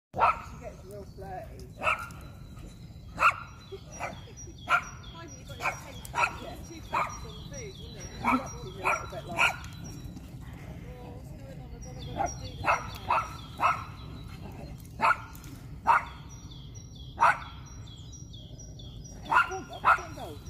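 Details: . Dogs playing excitedly on a cold morning in the woods; a German shepherd Norwegian elk hound cross, an American bulldog, a shih tzu yorkie cross and a boxer. Sharp repeated barks in bursts roughly every second, with a faint steady high tone behind.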